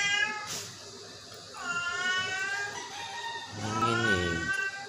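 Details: Sick Persian cat giving two drawn-out, harmonic-rich meows, the first falling gently and the second rising then dipping, with a soft noisy pause between them.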